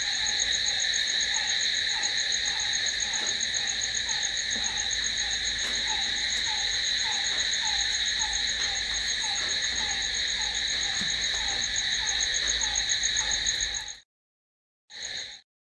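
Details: Crickets calling at night: a dense, steady high-pitched trill with bright layered tones, a softer pulsed chirp repeating beneath it, then a sudden cutoff into silence near the end before one brief final burst.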